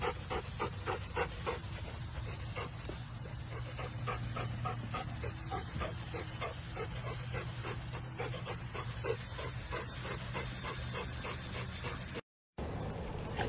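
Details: Labrador Retriever panting in rapid, breathy, even puffs, about three to four per second, with a steady low hum underneath and a brief dropout near the end.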